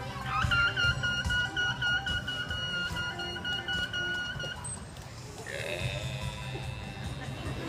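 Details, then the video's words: Killer whale calls played at SeaWorld's Shamu Stadium, where each pod has its own dialect: a long, steady harmonic tone, then a second call that bends upward, over crowd murmur. "Killer whales communicate using all sorts of sounds. Let's listen."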